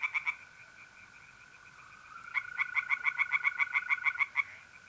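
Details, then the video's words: Tree frogs calling at night from a pond in North-East Italy in April: a few quick croaks, a pause filled by the steady mole cricket trill, then a longer run of rapid pulsed calls. "relaxing singing tree frogs in pond and trilling mole crickets by night"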